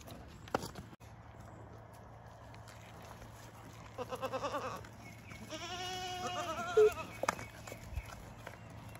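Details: Young LaMancha milking goats on a raw-land homestead in the morning give wavering, tremulous bleats, one soft and one longer and clearer, with a loud click near the end and low background hum.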